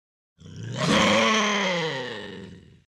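A bobcat gives a harsh, rasping growl that swells quickly, then slowly fades and drops in pitch.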